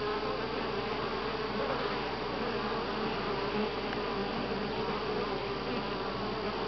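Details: Honey bees buzzing en masse at Grass Lake Sanctuary, July 25, 2011, week six: an unbroken, even hum with a firm low tone and rich upper harmonics.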